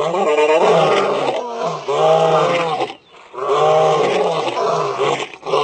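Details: A lion roaring while lying down, which does not signal distress; loud, harmonic roars of about a second each, broken by a brief silence near the middle, then resuming just as strongly.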